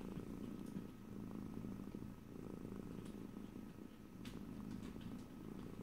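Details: Domestic cat purring steadily up close, recorded in stereo with no talking; a low rumbling purr pulses in long inhale-exhale cycles about every two seconds, with a few faint clicks above.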